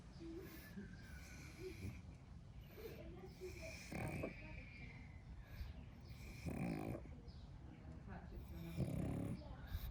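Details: Napping pug worn out from play, deep raspy snores recurring about every two to three seconds, each a low buzzy swell, with faint human voices in the background.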